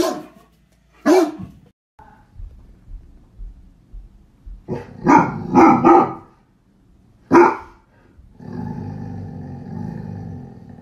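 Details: A male Great Dane barks at his owner in deep, booming barks, singly and in quick bursts, the howling type of bark the breed is known for, with music starting at the end.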